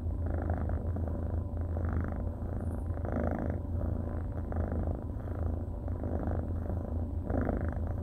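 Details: Rescued orange and white tabby kitten, a male, giving a constant low purr with soft rhythmic surges about once a second; a quiet indoor setting with no other noises.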